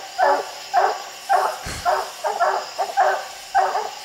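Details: Raccoon hounds barking treed on a steep hillside where six coons were seen; sharp, evenly spaced barks about twice a second, one brief thump in the middle.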